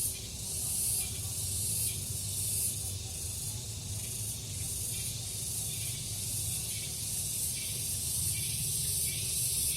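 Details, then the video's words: Morning cicada chorus in a garden, the insects taking turns and calling together: a shrill buzzing hiss with gentle rhythmic surges and a constant low background hum. "Orchestrasi Tongeret"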